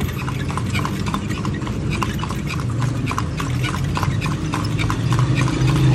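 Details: Horse being ridden while touring Vigan, Philippines: steady hollow hoof clip-clops, about three per second, over a constant low engine-like rumble.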